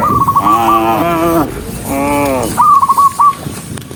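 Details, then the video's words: Dozens of docile cows walking along a country road on their way to the barn; two drawn-out, harmonic moos, the first about a second long, the second shorter, with a higher rapid warbling call just before and after. "cow Sound cow Moo"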